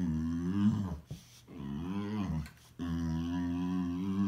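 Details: Boxer dog making funny noises in a small room: sustained low grumbling moans that bend up and down in pitch, broken by two short silent breaths, then resuming steady and droning.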